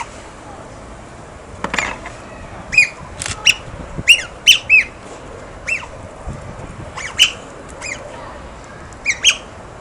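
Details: Otters playing with stones give sharp, high chirping squeaks, single or in quick pairs, about a dozen scattered across the stretch against a quiet hissing background.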